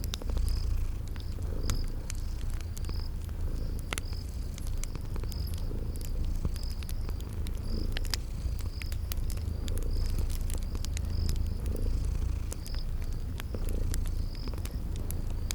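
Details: Sleeping kitties purr in a steady low rumble that swells and fades with each breath, under sharp crackling from a fireplace and short high chirps repeating about every second in a spring garden ambience.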